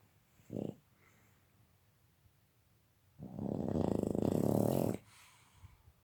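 A Boston Terrier snores, with a brief rasp followed by a long, loud, rattling breath.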